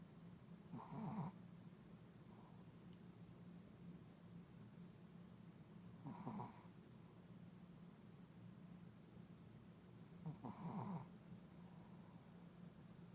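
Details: A sleeping puppy snores softly: three short, breathy, rasping snorts come roughly every five seconds, with quiet pauses between them over a steady low background hum.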